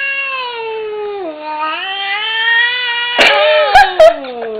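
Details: An indoor male domestic cat, usually subdued, hiding and yowling at a new pair of kitten slippers he hates: one long, low, moaning caterwaul that dips and then swells over four seconds, ending with a few sharp clicks.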